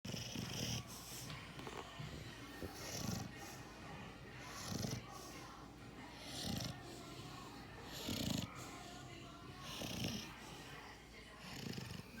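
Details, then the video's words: Sleeping puppy snoring steadily: soft, breathy low rumbles roughly every two seconds, each swelling and fading, over a faint hiss in the background. "Puppy snoring and won’t wake up"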